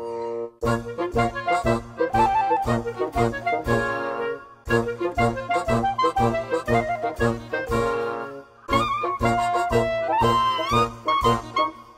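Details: Brass band music with trumpets, saxophone and trombone playing a lively rhythmic tune, with short pauses near four and eight seconds; no animal sounds.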